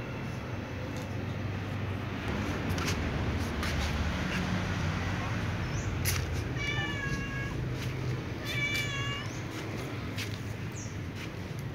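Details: A calico cat meows before joining other cats to eat; two short wavering harmonic meows around the middle stand out over a steady low rumbling background with scattered clicks.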